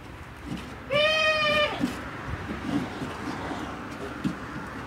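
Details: Male goat whose voice sounds cute and does not match his looks: a single high, clear, steady bleat about three quarters of a second long, with rich harmonics, then quiet rustling and faint background noise.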